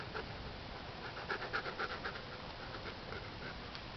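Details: Siberian Husky x wolf hybrid panting while watching a dung beetle at work; quick rhythmic breaths about four per second, with faint voices nearby.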